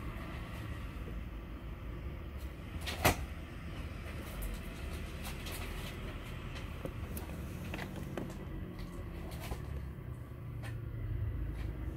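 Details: Indoor room noise with low rumble, a sharp knock and scattered clicks, with no clear animal sound heard.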